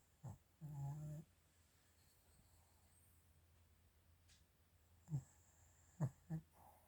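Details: Snoring from Chiroru, a female Maltese × Shih Tzu cross born 22 July 2017, recorded indoors in December 2023. One half-second humming snore, then scattered short snorts and breathy puffs with quiet gaps between.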